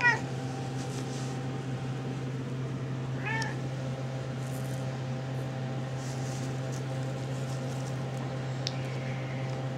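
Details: Seven-and-a-half-week-old RagaMuffin kittens, newly moved into a room, let out two brief, thin meows, one at the start and one partway through, over a constant low hum with faint rustling.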